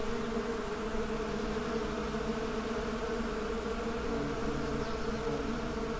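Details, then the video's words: Honey bees buzzing together in a steady, dense drone with layered humming bands, continuous and unchanging throughout with no pauses. "Bee Symphony: Soothing Natural Sounds for Relaxation"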